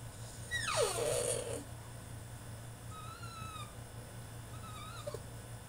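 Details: A male French Bulldog throws a tantrum in his cage: first a loud, harsh whine that sweeps steeply down, then two softer, level whines a second or so apart, with a low hum throughout.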